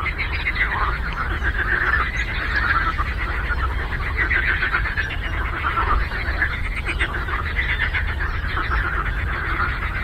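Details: Frog chorus on a lake: many frogs croak at once in a thick, continuous wall of raspy, pulsing calls that swell and fade slightly over ten seconds, over a low background rumble.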